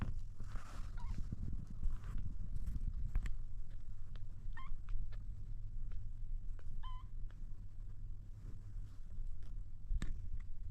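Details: Kitten trying to drink milk, giving two brief high mews a couple of seconds apart midway through, each with a quick bent pitch, over a steady low hum and scattered clicks and lapping-like noises.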